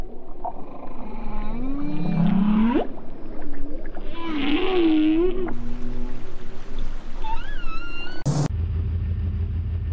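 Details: Whale song recorded by scientists, possibly a newly discovered, unique song: low, sweeping moans that rise and fall, with upswept tones and rich overtones.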